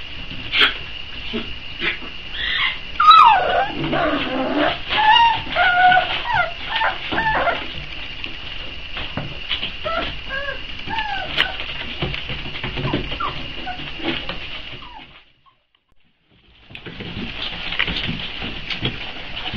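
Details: Four-week-old Boxer pups whine and yip while waiting to be fed, thin rising and falling whimpers clustered early, then fainter cries, a brief silent gap near the end before noise resumes.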